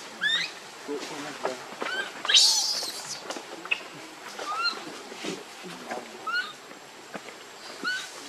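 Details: Hungry baby monkey Leo begging its mother for milk. One harsh, high scream rises sharply, surrounded by many short, thin, upward-bending coos and chirps repeated through the passage. Faint rustling sounds underneath.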